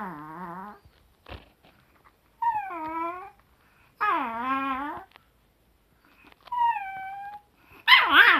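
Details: Pet Chihuahua recorded indoors in June 2018, giving drawn-out, wavering whines and howl-like cries in separate bouts of about a second each, with quiet gaps between and a sharp burst at the end.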